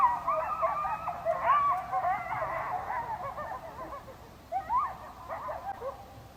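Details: At night, several coyotes yip and howl together in a wavering, overlapping chorus of high, quavering notes; two recordings joined, the first made closer to them, the second during rain.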